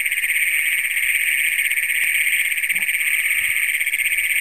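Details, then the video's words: Great Plains toads trilling after dark in Brown County, Minnesota, on June 27, 2010, a first county record, captured with a Canon Power Shot: a sustained, piercing, even trill with a brief low thump midway. "Great Plains Toads in Brown County, Minnesota"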